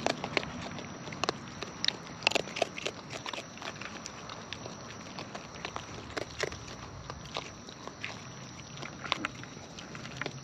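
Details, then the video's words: Wild raccoons munching food nearby: bright, crisp clicking bites and crunches spaced irregularly, occasionally doubled, over a quiet steady background. "Wild Raccoons & ASMR Chewing Sounds"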